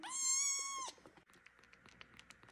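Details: Suds, a kitten waiting to be fed, gives one loud, drawn-out meow lasting almost a second with a steady rich tone, then soft scratching and clicking follows.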